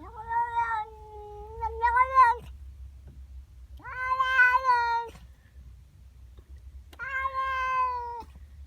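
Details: Domestic female cat indoors, upset at a neighbour cat in her garden in the morning: three long, drawn-out wailing yowls, each one to two and a half seconds, steady then rising slightly at the end, separated by short pauses, low hum behind.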